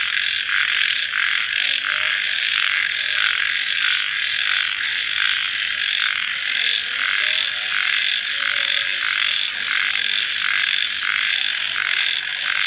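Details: Nighttime crickets calling soon after rain, a steady shrill chorus overlaid by regular throbbing bursts that repeat roughly every 0.7 seconds throughout.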